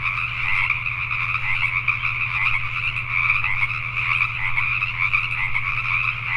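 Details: Pacific tree frogs at night in Richmond, British Columbia, Canada, croaking in a thick continuous chorus of rough, quickly repeated notes, accompanied by a constant low hum.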